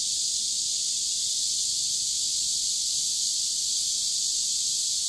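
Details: Cicadas singing by a river in warm summer, recorded 23 July 2015: a dense, continuous high-pitched hiss-like drone, steady and unbroken throughout, with faint low rumble beneath.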